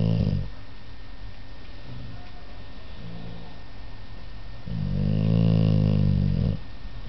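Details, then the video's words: Low, rumbling snoring from a sleeping American Staffordshire Terrier, in three breaths: a short snore at the start, a faint one in the middle, then a long, loud, buzzing inhale of nearly two seconds. "Mec is snoring"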